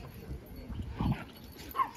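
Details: An off-leash Shiba Inu at a dog park on a cool evening, suddenly turning aggressive toward a Husky inviting him to play, gives a brief, gruff bark followed by a sharp, higher yip.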